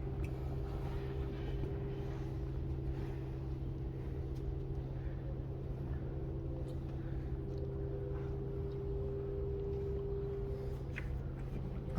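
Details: Steady low mechanical hum with constant droning tones throughout, no animal voices.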